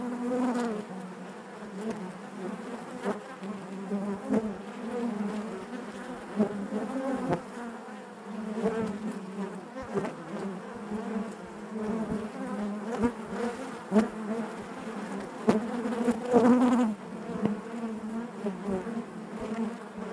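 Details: Honey bees buzzing inside their hive, a dense continuous hum with a steady low drone and shifting overtones, swelling and fading in loudness, with occasional brief clicks and knocks.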